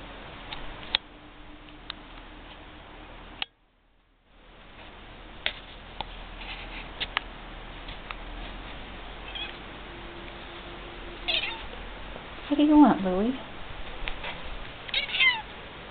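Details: Vocal pet domestic cat indoors in a small room, giving a short wavering meow near the end, preceded by faint clicks and handling noises against quiet household background.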